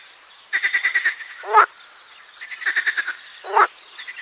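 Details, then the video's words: Marsh frog (Pelophylax ridibundus) calling: two bouts of rapid pulsed croaks, about seven quick pulses each, every bout ending in a louder, harsher burst; other frogs chorus faintly behind. "Песня озерной лягушки Pelophylax ridibundus"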